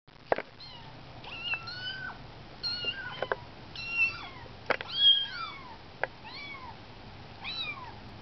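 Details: Kittens 19 days old on their first walk outside their nest, giving high, thin, arched mews, repeated several times in quick succession with short gaps, over a quiet background with a few clicks.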